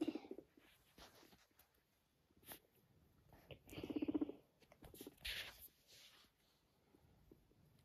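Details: Guinea pig purring while walking next to its owner indoors: short, low, buzzy pulsed bursts near the start and again around four seconds, quiet, with faint rustles between.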